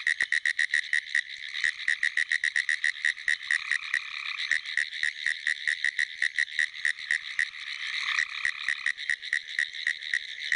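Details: Pine woods treefrog calling from a flooded field after a rainstorm in South Carolina on April 22, 2011; rapid, dry ticking pulses run in steady series throughout, with a lower droning trill from other frogs coming in intermittent bursts.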